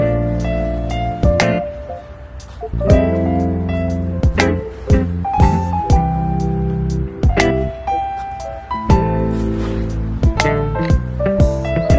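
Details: Gentle instrumental music with sustained tones and rhythmic percussive hits; no animal sounds.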